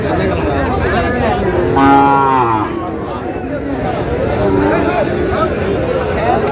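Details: Sahiwal bull calf lowing at a cattle market in Chattogram: one short, tonal moo of under a second, partly masked by men bargaining over prices and general crowd chatter.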